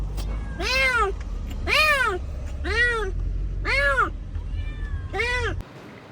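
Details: Abandoned kitten, rescued after two days freezing in the snow at -11°C, gives five loud, arching meows about one per second, each rising then falling in pitch, rich in harmonics, over a steady low rumble.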